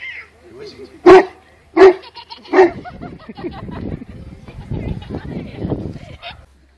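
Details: Newfoundland dog playing with babies: three loud, deep barks spaced under a second apart in the first three seconds, followed by a person talking and softer mixed sounds.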